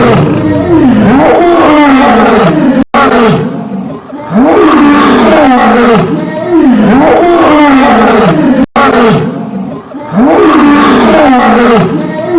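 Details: A lion (Panthera leo) roars in deep, rasping calls, each swelling and falling away, repeated every few seconds.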